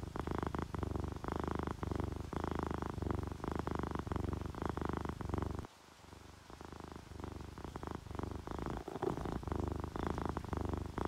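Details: Purring of a sleeping ginger tabby and calico cat, relaxed and content, with rain falling; low throbbing purr in regular cycles, briefly dropping away near the middle before resuming over steady rain patter.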